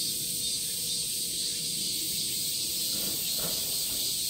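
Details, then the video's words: Cicadas calling: a dense, continuous high-pitched buzzing drone that holds steady throughout, with a faint low hum and scattered soft background sounds. "Cicadas sound"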